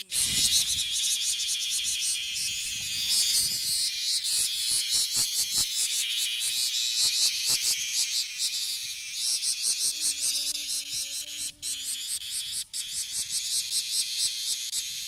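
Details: Loud pulsing song of a male bear cicada in a Kansai park, Japan; a harsh shrill buzz broken into fast rhythmic throbs, roughly two or three per second, with a brief low hum and faint clicks toward the end.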